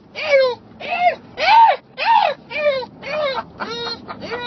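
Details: English Bulldog screaming with excitement on arriving to visit Opa, its grandpa: a run of eight loud, arching, harmonic squeals, each under half a second, coming about twice per second, with a quiet room murmur underneath.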